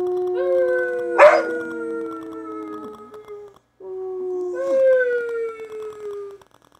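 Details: Siberian Husky pack howling: two long, smooth howls, each slowly descending, with several dogs holding steady tones together. A brief sharp yelp interrupts the first howl. There is a short silence between the two howls.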